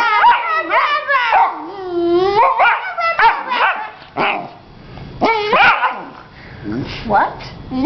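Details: Female Vizsla puppy, newly using her voice, answering back indoors: wavering, whining yowls that rise and fall in pitch, in several drawn-out bursts with short pauses, mixed with human voices.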